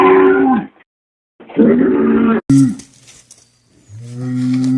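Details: Short cattle moos in abrupt fragments: two brief mid-pitched calls, then a deeper, sustained moo fading in at the end.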